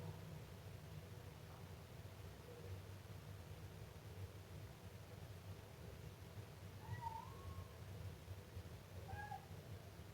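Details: Siamese kitten giving two thin meows late in the recording, the first drawn out and wavering, the second brief, after a stretch of quiet low hum.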